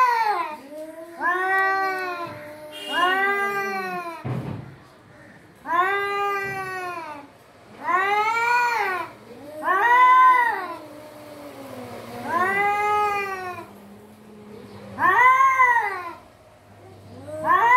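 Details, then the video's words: A cat gives a steady series of long, arching meows, loud and harmonically rich, spaced about two seconds apart, with a faint low hum underneath and a brief thump near the middle. "Voice of cat"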